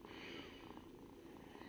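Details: Domestic cat purring softly, a steady low rumble broken into rhythmic pulses several times a second, with faint human murmuring in the background.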